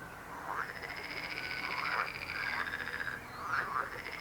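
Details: Frogs croaking, a pulsed, rattling chorus with sustained trilled bands and rising, arching croaks around the middle range, steady and overlapping throughout.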